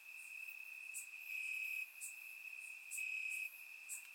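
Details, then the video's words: Crickets in grass on a summer night in Bulgaria, surround-recorded: a sustained high-pitched trill swelling in two longer loud stretches, with quiet scattered chirps higher up. "Cricket Sounds - Crickets Chirping at Night"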